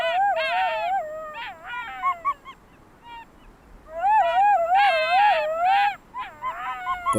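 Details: Wolf at a bait site in Russia howling to summon companions after gorging on meat. Two long, wavering, tremulous howls with yelping notes between them, separated by a short quiet pause.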